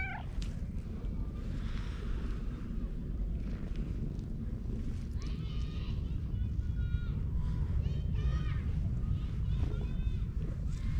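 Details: Park cat meowing while purring, its cry likened to a cute 'goro-nyan', filmed with a GoPro HERO8; a steady low rumble underlies a run of short, arched, rising-falling meows clustered in the second half.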